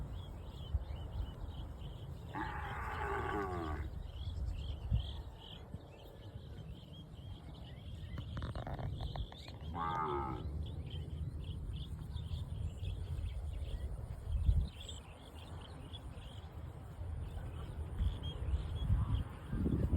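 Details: Tame cows grazing grass in the fields of a cattle farm; two moos rise out of the background, the first near the start lasting about a second, the second shorter, over a constant low rumble and a steady high-pitched hiss.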